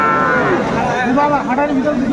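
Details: Cattle, Friesian and crossbred bull calves, at the Aftabganj livestock market in Nawabganj, Dinajpur, Bangladesh, on 21 August 2024: a drawn-out, wavering moo with a steady tone, over people talking nearby.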